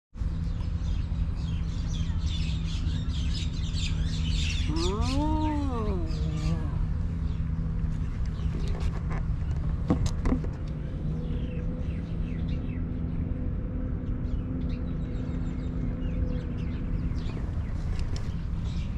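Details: Homeless stray cat in Ras Al Khaimah, UAE, gives one drawn-out, arching meow that rises and then falls, under a steady low traffic hum, with busy chirping of small birds all around.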